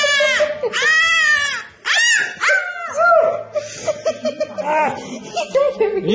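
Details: Puppies howling, some for the first time: wavering, arched, harmonic-rich howls rising and falling for about two seconds, then broken shorter whines among human voices and laughter indoors.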